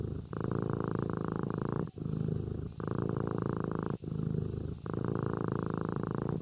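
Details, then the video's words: Sleeping kitten purring close up: steady low rumbling purr in long stretches of about a second each, broken by short pauses as it breathes, four purring phases in a row. "Suara Anak Kucing Tidur Sambil Mendengkur"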